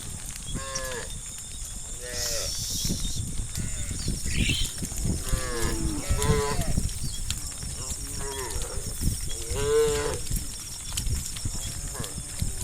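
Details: Tame cows from herds of hundreds roaming village roads, several animals mooing in overlapping, harmonic-rich calls, many short and some rising, repeated throughout, with a steady hiss and faint high tonal hum behind.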